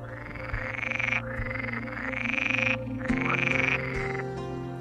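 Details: Edible frog (Pelophylax kl. esculentus) males, in spring breeding season in a wetland, sing alone or in groups with loud, rattling croaks in bursts of about a second to attract females.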